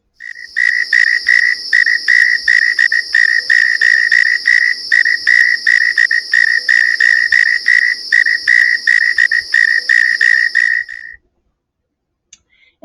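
A northern mole cricket sings a steady run of low, throaty chirps, about three every second.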